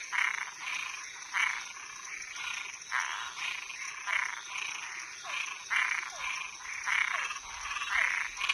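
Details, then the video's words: Frogs and toads at night give grating, buzzy croaks in an irregular overlapping chorus, about fifty calls a minute, mixed with faint falling chirps and a continuous shrill insect-like hum. "Som de animais noturno Sapo e perereca"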